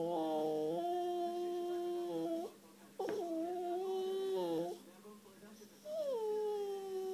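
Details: Sweet husky Messi howling to ask for affection inside a small room: three sustained, moaning howls with slight pitch wobbles, the last starting high and gliding down before leveling off.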